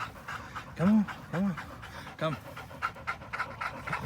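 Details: American Pit Bull Terrier Linus and Buddy, a blue Belgian Malinois cross, playing together on April 1, 2019; three arching whining yelps in the first two and a half seconds, amid panting and a voice.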